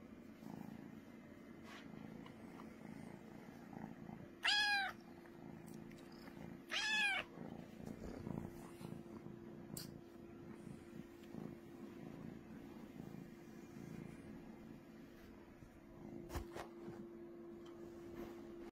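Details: Loud purring from Brooklyn the cat: a steady, low, throbbing rumble throughout, with two brief meows close together early on and a few faint taps and knocks in the room.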